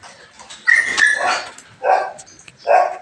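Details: Morning cleaning time with a Belgian Malinois: a high, strained whine breaks into a bark, then two more short barks spaced under a second apart.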